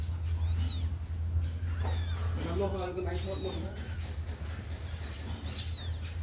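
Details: Kittens let out of a cage to run and play give several high, thin, arched meows spread through the clip, with a person speaking and a steady low hum indoors.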